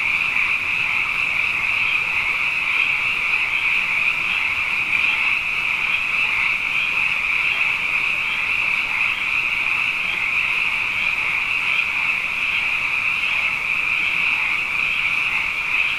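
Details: After back-to-back wet years, a throng of frogs fills the night with an unbroken, high, rattling trill of overlapping croaks, steady in loudness with small rhythmic flutters throughout.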